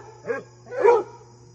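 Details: A Basset Hound goofing off and playing with deer gives two deep, hoarse barks in quick succession.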